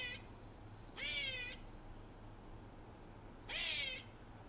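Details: An Eastern gray squirrel at the top of stairs at Treetops, Hilton Head Island, South Carolina, repeats an odd nasal, wheezy call over and over, each note half a second long, every few seconds.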